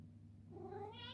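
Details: Coffee Cat, a male Ragdoll, calls for his morning treat with a rising meow that starts low and climbs upward, over a constant low electrical hum in a small room.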